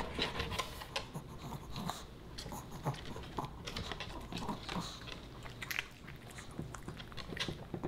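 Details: Fish and chips being chewed by Boba Bear, a small Pomeranian pup: irregular crackling bites and soft smacking spread across the whole stretch, punctuated by occasional light breathing.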